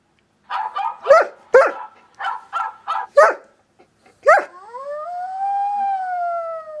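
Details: German Shepherd reacting to ringtones: a quick run of about eight sharp, yappy barks, then a long, smooth howl that starts high and slides slowly downward, held for over two seconds.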